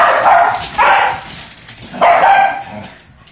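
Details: Two Pembroke Welsh Corgis playing with a balloon; three loud, excited, slightly drawn-out barks within three seconds, the last trailing off.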